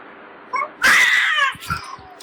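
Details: Domestic cat snarling loudly at another cat while both patrol a garden in an aggressive encounter; a sudden harsh, raspy burst of about half a second with a softer tail, followed by a clatter as the camera drops.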